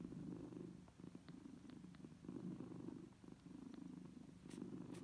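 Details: Mother cat nursing her young kittens: rumbling purr pulsing in regular breath-long swells, about one per second, with faint clicking and a couple of brief high hisses near the end.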